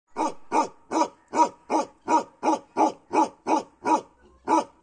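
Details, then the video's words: Kashmiri Bakharwal dog barking in a steady run of loud, deep woofs, about three per second, each bark broad and harsh with a strong low core, one short gap before the last bark. "Bakerwali dog barking kashmiri bakerwal dog"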